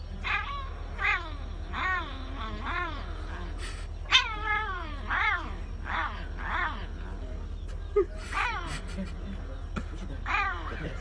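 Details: Domestic cat, surprised on seeing a balloon for the first time, giving a long run of short harmonic meows that rise then fall, coming in quick succession about every half second to second, over a steady low hum with faint human speech.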